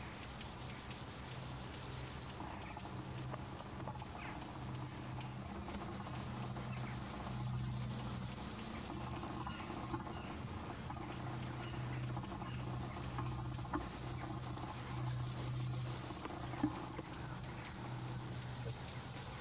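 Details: Stridulating grasshopper, hind legs rubbed against forewings, captured with a Nikon P900 and Raynox DCR-250; repeated bouts of fast, high, scratchy pulses lasting several seconds each, with short gaps between, over a steady low hum.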